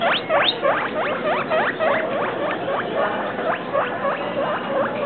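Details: Clear, regular guinea pig squeaking from pets Travis and Shane, each note a fast rising chirp, repeated roughly three to four times per second for the whole stretch.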